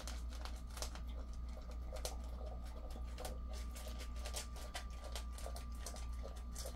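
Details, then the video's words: Ddaya, a male Jindo aged ten, eats his meal before a morning walk at 05:20 on 26 August 2024; quick rhythmic crunching and patter-like chewing, with a constant low hum and a thin steady tone behind. "산책 전에 밥먹기 Eating before a walk"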